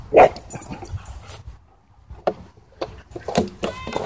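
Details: Doberman and Belgian Malinois fighting at a dog park before an e-collar correction: one loud, sharp bark burst opens, then scattered lower snarls and scuffling noises with short harsh yelps toward the end.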